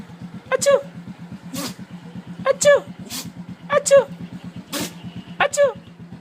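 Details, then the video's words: A neighbour's dog, excited to see a familiar person, sneezes: sharp noisy bursts about once a second or two, mixed with squeaky falling two-note yelps, over a steady pulsing engine idle throughout. "Sneezing Dog"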